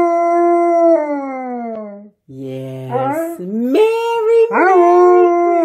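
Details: Malamute dog singing along to Jingle Bells for Christmas, with a sustained howl gliding downward, a brief break, then varied yodelling howls jumping up and down in pitch before settling into a long, level tone.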